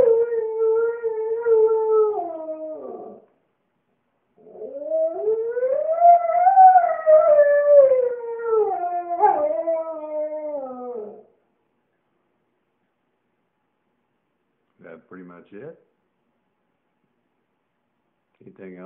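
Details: Maverick the singing Husky delivers two long mournful howls, the first held then falling, the second rising and arching before dropping away, followed by brief yips and whines; indoors, otherwise quiet.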